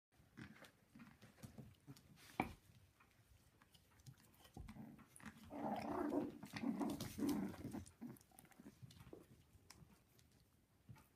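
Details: Havanese puppies at six weeks old growling and vocalising indoors in a small room, a low rough burst swelling in the middle, with soft clicks and chewing-like taps around it.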